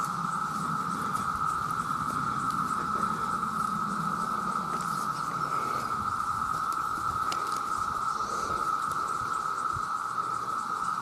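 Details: Massed male cicadas, millions of them, calling for mates: a steady, unbroken loud drone at one mid pitch that never pauses, with some low rumbling underneath in the first seconds.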